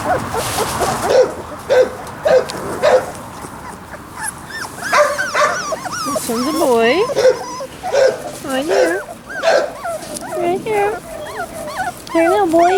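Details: Labrador Retriever puppies Sasha and Moses give a long run of high arched whines and short yips, rising then falling, crowding together more densely toward the end, with faint rustling behind.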